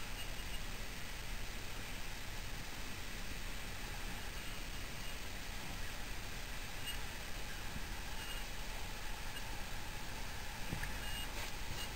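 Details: No animal sound is heard, only steady broadband hiss and low rumble like distant traffic or a fan throughout.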